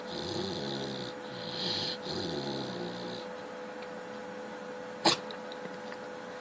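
A Chow Chow snores in slow, rasping breaths, each lasting about a second, with a wheezy hiss.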